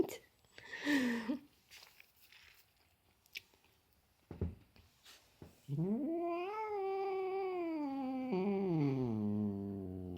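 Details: A big domestic cat, described as grumpy, meets his little brother for the first time. After some knocks and rustling, he gives a long, low moaning yowl that rises, holds, then sags downward over four seconds.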